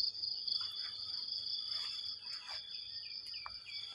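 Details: Morning cricket chorus beside banana plants while heavy rain falls: an unbroken high-pitched buzzing drone with a fainter steady tone below it, broken by a few short clicks and taps.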